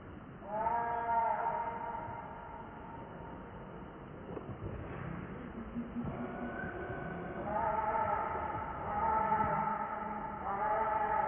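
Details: Lucie, a very hungry baby monkey, cries for milk while her mother will not let her nurse; drawn-out, wavering harmonic wails come in bursts, with quieter gaps between, over low background rumble.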